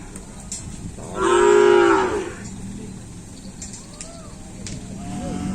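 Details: Bull at kerapan sapi race training on the Asemanis field in Pamekasan, preparing for a race event; one loud, sustained moo of about a second rises out of crowd chatter and murmuring.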